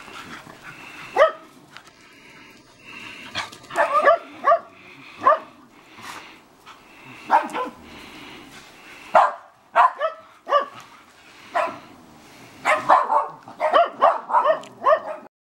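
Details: Shetland Sheepdogs, two females, tussle in a backyard during sunset, trading a long run of sharp barks and yips that come in irregular clusters, denser toward the end.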